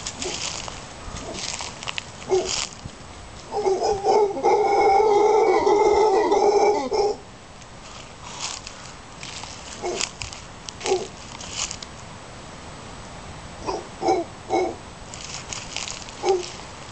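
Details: Howler monkeys near Casas Pelicano, Playa Junquillal, Costa Rica, give a sustained rough roar lasting about three seconds, strong and resonant, framed by scattered short grunts and hiss-like background noise before and after.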